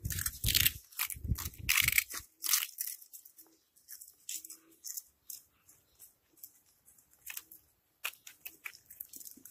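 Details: Cats eating, with loud, dry crunching bites packed into dense bursts over the first two seconds, then thinning to softer, irregular chews with short pauses and a final cluster of crisp crunches near the end.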